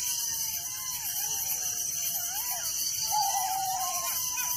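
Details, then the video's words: Crickets chirping at night in a village: a dense, steady, high-pitched pulsing chorus runs throughout, with frequent gliding whistled calls from another creature layered over it. "Relaxing Night Crickets Sound in Village"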